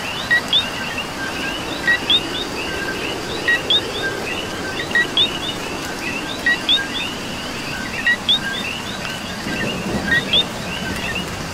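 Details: Rain-soaked Puerto Rican night with coqui frogs: crisp two-part calls, a brief low note followed by an upswept whistle, sounding at uneven intervals about every second or two above a thick background chorus of more frogs and continuous rain.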